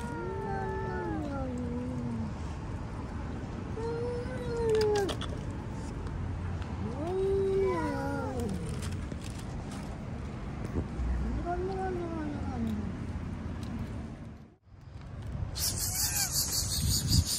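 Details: Hungry cats outdoors, being fed fish, giving plaintive, wavering meows that rise then slide down, repeated every few seconds over steady outdoor background noise, with a sharp rustle near the end.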